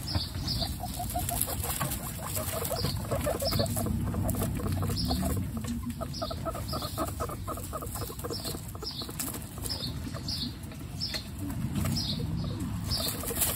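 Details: Guinea pigs, mother Coconut and babies Pistachio, Pumpkin and Snow, kept as pets: quick strings of soft stacked chutters, roughly three per second, broken by pauses, with recurring high thin chirps and bedding rustle throughout.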